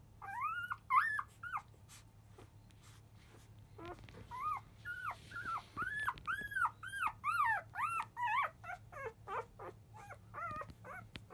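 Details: Five-day-old field-line Labrador Retriever puppies, born to the 2017 JFA grand champion biscuit, fussing loudly as they start nursing just after 1 pm; a rapid series of high arched whining squeals, several overlapping, with a steady low hum beneath.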